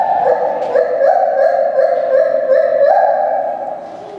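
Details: Lar gibbons at a zoo call noisily with a loud, pure, hooting call that wavers and steps in pitch.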